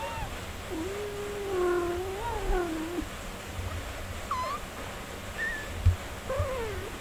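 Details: Mother cat tending her four-day-old nursing kittens, with long wavering meows that rise and fall over about two seconds, followed by short upward chirps and a brief, higher mew over a low steady hum.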